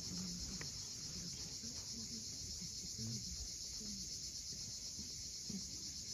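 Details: Cicadas at sunset on the steep coast of Cape Fiolent, Crimea: a steady, dense high-pitched buzzing chorus fills the whole recording, over a low rumble of waves and brief faint low sounds.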